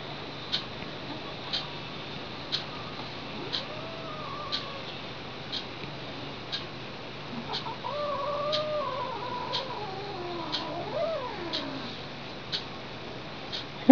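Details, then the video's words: Lily, a pet cat, is displeased after being tapped and answers with wavering, theremin-like glides that slide up and down, mostly in the later seconds. Soft regular ticks sound about once per second throughout. "Cat as musical instrument"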